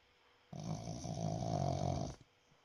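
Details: Boston Terrier asleep and snoring loudly, one sustained, throaty low snore of about one and a half seconds that swells and then stops abruptly, heard in a small quiet room.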